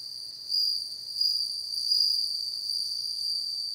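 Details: Bell cricket song: a continuous, shimmering high-pitched ring with overtones, steady throughout with gentle rises in loudness, no other sounds.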